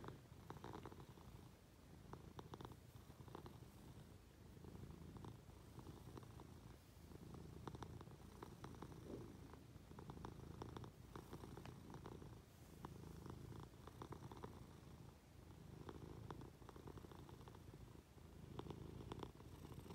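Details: Munchkin cat clambering onto its owner in bed to be affectionate, giving a long, even low purr pulsing with its breathing, with occasional soft taps and rustling sounds.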